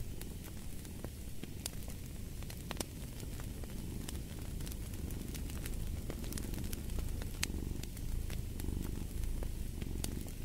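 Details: Domestic cat purring beside a crackling fireplace: a steady low rumbling purr with gentle rhythmic swells of breath, while sharp pops and crackles from the fire break through throughout.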